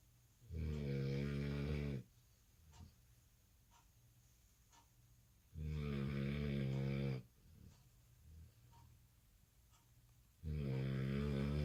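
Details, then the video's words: Exhausted American Bully puppy sleeping at night after missing a nap following dinner; loud rasping snores, each about a second and a half long, come roughly every four to five seconds, with quiet breathing between them indoors. "Puppy snores so loud | American Bully"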